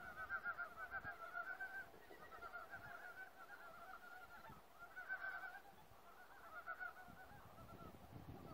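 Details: Many frogs in a forest croak in fast, pulsed, nasal trains, several voices overlapping in waves that swell and fade every couple of seconds over low rumbling ambient noise.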